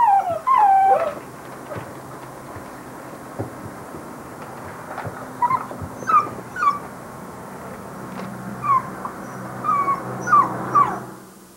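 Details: Basset Hound puppies giving scattered short, squeaky whimpers, a few sliding whines at first, then brief high yips and peeps spaced over a quiet background with soft rustling.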